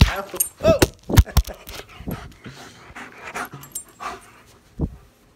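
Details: German Shepherd at home greeting its returning owners after a two-week vacation; a sharp rising-falling whine, quick yelps and clicks, with human voices and excited bumping in the background.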